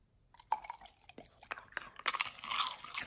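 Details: Pit Bulls feeding on raw beef trimmed chunk, quail egg and duck wing: sharp crunchy bites and snaps, quiet at first, then denser wet crunching in the last second.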